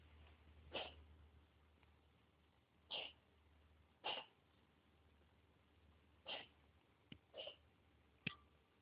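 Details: Female pet cat coughing, described as sounding like a smoker: short, harsh, breathy bursts, about six of them with gaps of one to two seconds, over a faint low steady hum.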